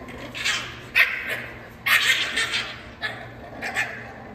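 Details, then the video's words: French Bulldog puppies going crazy at play indoors, letting out bursts of high, sharp yapping barks in quick clusters about once a second, with scuffling between bursts and a faint background hum. "FRENCH BULLDOG PUPPIES GOING CRAZY"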